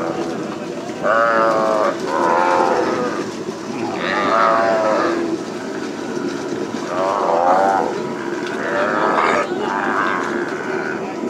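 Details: Calves being branded at Hato Las Carmelitas during plains ranch work. Distinct moos with a quavering tone come about every one to two seconds in bursts, with pauses between groups, over a constant noisy backdrop.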